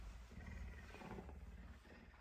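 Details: Messi, a pet puma, hungry and eager for breakfast, awake earlier than usual and especially affectionate on a Tuesday morning, giving a deep, continuous rumbling growl that lasts about two seconds, with faint room noise.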